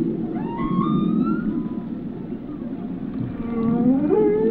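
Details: Long, slowly rising tonal whale moans over a dense low rumble, ending with a brighter upward-gliding cry.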